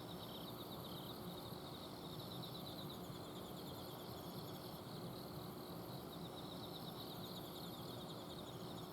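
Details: Several autumn insects trilling at night in a garden in Azumino. Thin, high, evenly pulsed notes overlap in an unbroken chorus, while an air-conditioner outdoor unit hums loudly underneath.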